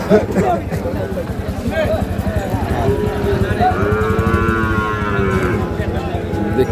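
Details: At the Ambari market in Dinajpur, where Sahiwal bull calves were sold on 9 February 2026, a rich, drawn-out moo with stacked harmonics swells midway through, amid constant chatter and low rumbling market noise.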